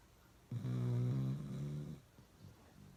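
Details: A single loud, low, vibrating snore from Uno the pet dog, lasting about a second and a half, followed by faint breathing.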